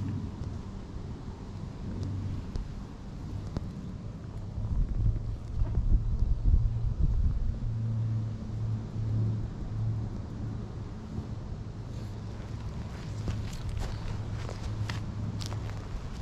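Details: Stray cat lounging in a park, purring while being stroked by hand as a friend cat comes over, filmed on a GoPro HERO8: a steady low rumbling purr throughout, with wind buffeting the microphone and some handling noise.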